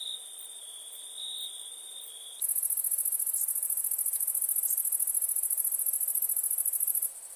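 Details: Night crickets: a soft steady high trill for two seconds, then a much louder, very shrill rapid buzzing trill of fast even pulses takes over and runs on steadily before fading.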